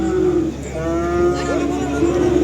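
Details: Simmental cattle, said to be of Australian stock, at the Kerek cattle market in Tuban, East Java, Indonesia: a loud, drawn-out moo with a steady tone, rising slightly midway, about two seconds long, over market hum and a trader's voice nearby.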